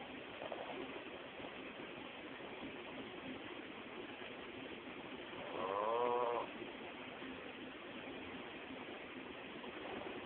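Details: Sleeping male pug snoring: one clear raspy, wheezing snore near the middle lasting about a second, with fainter breaths at the start and end over a steady hiss of background noise.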